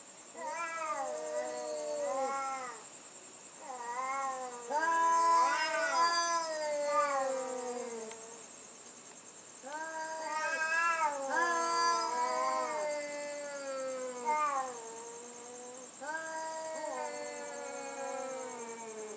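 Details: A loud nighttime cat sound battle: dense, repeated wailing yowls that rise and dip, several stacked close together in bursts, with strained screechy peaks and a faint steady high whine underneath.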